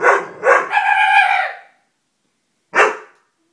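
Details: Frightened Dobermann puppy facing a stuffed toy: two quick barks run into a drawn-out whining yelp, then silence and one last bark.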